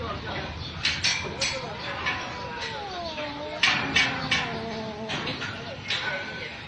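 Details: Domestic cat giving long, drawn-out meows that waver up and down in pitch, two extended calls in the middle of the stretch, with people talking and scattered clicks and knocks throughout.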